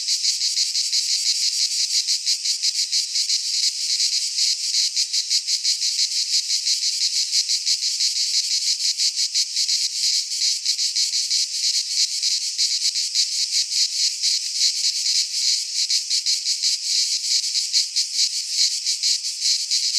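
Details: Greek pine-forest cicadas in midsummer produce a relentless high electric buzz, finely stuttering in fast pulses and constant in loudness from start to finish, the only sound present.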